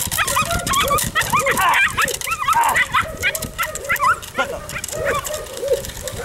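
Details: Six-week-old Belgian Malinois puppy, a police K-9 candidate, during stick-fighting civil work training: shrill, arching yelps and high barks tumble out roughly once a second, uneven and excited, with human voices talking alongside.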